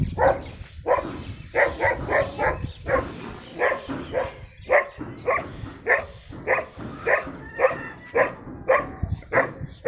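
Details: Brown dog of a rare breed, described as very dangerous, barking repeatedly in short harsh bursts, roughly two per second with brief pauses, some voices faintly underneath.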